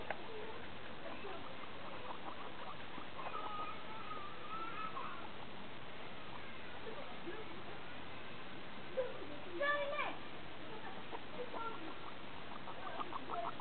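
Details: Pet guinea pigs, several together, playing with a friend's guinea pigs in a small homemade playground: soft, thin squeaks and chatter under a steady hiss, then a brief louder burst of high squeals late on, with light pattering movement.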